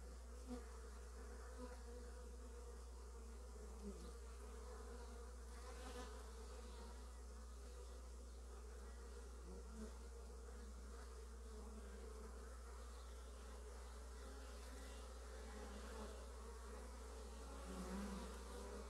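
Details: Honey bees carrying early pollen home: a soft, continuous low hum with shifting overtones as individual bees pass, quieter and steady across the whole stretch.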